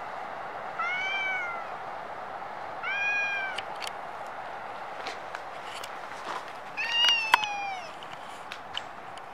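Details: Stray cat in Japan, recorded on a Nikon D5300: three separate meows, each a short arched wail with rich harmonics, spaced about two to four seconds apart, with a few sharp clicks between them over a steady background hum.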